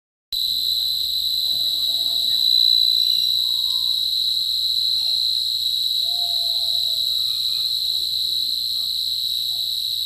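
A cricket trills in a steady, high, ringing stream of sound with no breaks.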